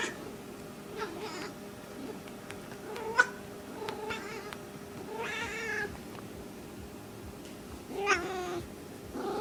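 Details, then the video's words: Small female pet cat in heat making soft intermittent calls: faint short chirps, then two longer wavering harmonic meows around the middle and end, separated by quiet pauses with low background hum and a sharp click. "Small cat in heat"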